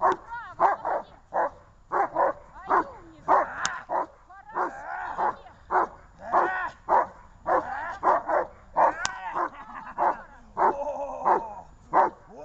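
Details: ['Dogs recorded on 23 December 2018 bark continuously, giving fast, loud, mid-pitched barks about 100 times a minute, with some double barks and a few brief higher yelps mixed in.']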